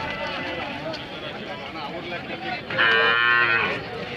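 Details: Hallikar cattle at a temple cattle fair market in India, one animal giving a short steady moo lasting about a second amid murmuring crowd noise and background music.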